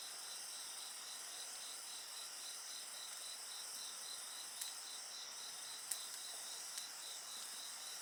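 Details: Continuous singing of insects by a bonfire, a bright high-pitched hum joined by a fast rhythmic pulsing trill, steady in volume, with occasional sharp snaps of burning wood.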